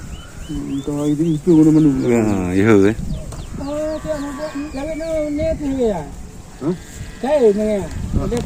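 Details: Cow among cattle noted for strange sounds: a wavering, deep bellowing moo, then longer mid-pitched lowing calls that bend downward, with voices and outdoor noise behind.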